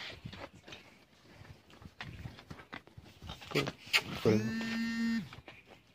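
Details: A 15-month-old Friesian heifer calf at a dairy farm in Bangladesh gives one harmonic, steady moo lasting about a second, low and buzzy-rich, after indoor chatter and people talking nearby.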